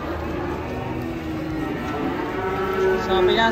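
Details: One of a collection of unique cows moos low and drawn-out, the call swelling louder toward the end over a layer of music and ambient noise.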